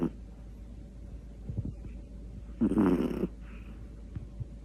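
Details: Sleeping Pomeranian snoring: one short, raspy, breathy snore rumbles out midway, set against a steady low room hum with a few faint soft clicks before and after.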